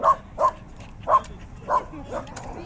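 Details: Dog at a dog park among many other dogs, giving five short, sharp barks in under three seconds, the first four fairly evenly spaced and the last softer, over a low steady background murmur.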